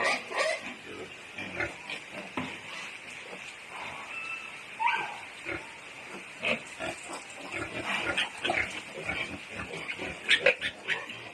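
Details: Native piglets, newly born, on a backyard pig farm in Balamban, Cebu, Philippines, squeal shrilly and repeatedly in overlapping bursts, with a few short rising whines and faint human voices behind.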